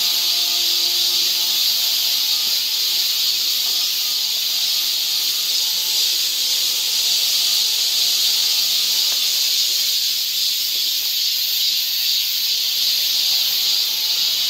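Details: Summer cicadas in a Seoul forest, Korea, making a loud continuous buzzing hiss, shrill and unwavering throughout, with faint steady low tones underneath during the first two-thirds.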